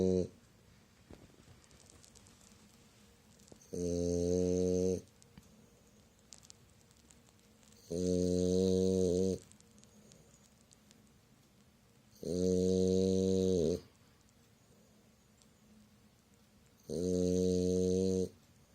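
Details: French Bulldog Myu sleeping comfortably and snoring: four loud, deep, harmonic snores about every four and a half seconds, each lasting roughly a second, with quiet breathing between them.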